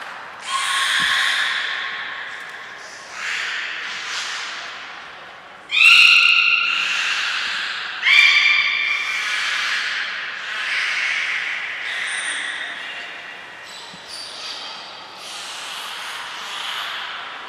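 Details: Captive belugas Hodoi, Gray, Nana and Nico during a training session at Port of Nagoya Public Aquarium, 5 June 2021: a series of squawking, nasal calls with bright harmonic bands, some rising whistles, and sharp loud bursts around six and eight seconds.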